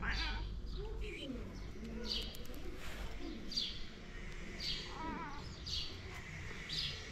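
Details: Kittens cared for by a calico cat that is not their real mother, heard while being fed: short high mews rising then falling, about one each second, over a low background hum and a few soft clicks.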